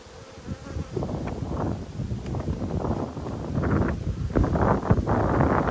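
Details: Open honey bee hive under inspection, 19 March 2022, near capped comb; low, dense droning buzz builds in loudness over several seconds, mixed with scraping and rustling from frames being moved.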